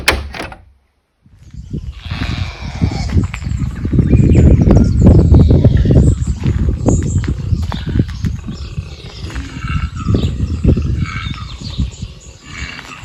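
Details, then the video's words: A male koala up a tree on a rural property in Victoria, Australia, in late November, gives deep, rasping, rapidly pulsing snorts and grunts like loud, laboured, asthmatic snoring. "Anyway, let's put the bat outside. Did you hear that? That was a koala."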